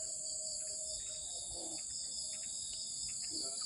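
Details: A large cricket-like insect calls at dusk in a rural village with a steady, high, ringing trill that carries on without a break; it is silent by day and sings from evening into night.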